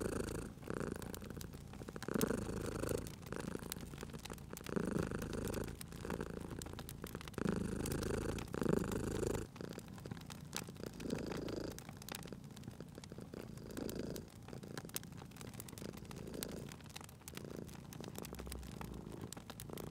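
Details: Domestic cat purring beside a crackling fireplace for sleep and relaxation: low rumbling purr in breath-paced pulses, each inhale and exhale swelling in turn, with sharp crackles and pops of burning fire throughout.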